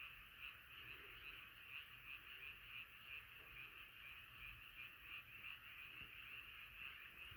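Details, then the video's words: Many frogs gathered in a nighttime chorus, croaking in fast pulsing bursts near three per second, a continuous unbroken high-pitched throb. "자연의 소리 개구리소리"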